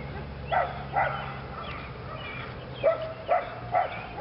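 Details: Belgian Malinois Lily, a female in PSA training on leg sleeves; two barks, a quiet pause with faint background sound, then four more sharp barks in quick succession.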